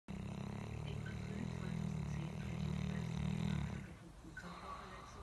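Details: South African Boerboel dog snoring: one long, low, rumbling snore lasts nearly four seconds, steady and deep with a rough, vibrating texture, then gives way to a quiet room with faint background hiss.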